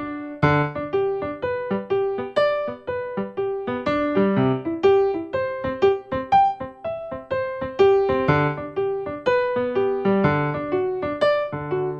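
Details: Electric piano melody plays in repeated, evenly paced phrases, with no animal sounds.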